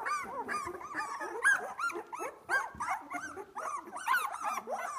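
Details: Litter of two-week-old Australian Labradoodle puppies, just starting to open their eyes, at playtime: many overlapping high squeaks, whimpers and yips running continuously.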